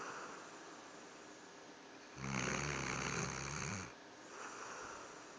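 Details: A sleeping dog snores loudly: one long, harsh, rattling inhaled snore lasting nearly two seconds, then a softer breath, in a quiet room.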